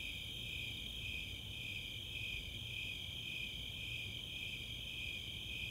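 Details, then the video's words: Snowy Tree Crickets and Four-spotted Tree Crickets in a summer night chorus, Chautauqua open space, Boulder, Colorado: unbroken, rhythmic high chirping in stacked bands over soft low background noise. "Nighttime crickets"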